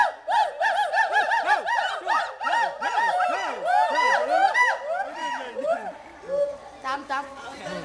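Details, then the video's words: Captive hoolock gibbon at Dhaka National Zoo in Mirpur, Bangladesh, giving a fast series of arched whooping notes with rich harmonics, rising and falling almost three times a second, then thinning out toward the end. "Funny Ulluk sound in Mirpur Zoo"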